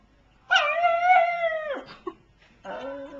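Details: Pug "talking" in a funny pet compilation: one drawn-out, tuneful whine that holds steady for more than a second, then slides downward, followed after a short gap by a softer, lower second whine.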